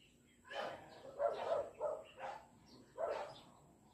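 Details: Cat stuck somewhere in Taiwan calling five times in quick succession, each a short, harmonic, mid-pitched meow under a second long, against a soft constant high hum.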